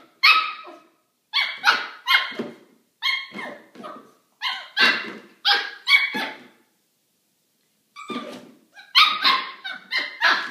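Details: Maltipoo puppy indoors playing with a milk jug and disliking it, giving a string of high, sharp yappy barks in quick bursts of two to four, with short pauses between groups.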